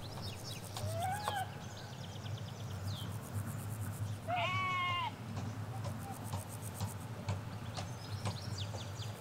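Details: Ewes and lambs grazing a Hampshire field, captured in stereo beside a hedge away from the road: a single loud, quavering bleat midway, preceded by softer distant bleats and bird calls, with constant low traffic hum underneath.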